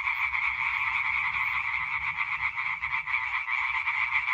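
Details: Chorus of European tree frogs, 20 May 2023, many calling together in a loud, unbroken mass of fast, rattling croaks that pulse and overlap, with slight swells in volume and a soft low background hum.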